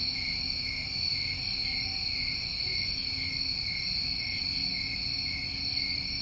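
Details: Constant shrill trilling of many crickets on a New England summer recording, the pitch holding level throughout with faint pulsed texture, and a quiet low hum beneath.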